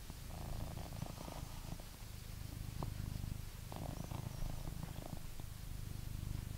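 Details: A blue British Shorthair house cat in England purrs in a deep, rhythmic rumble, overlaid with crackly rustling bursts and a few sharp taps.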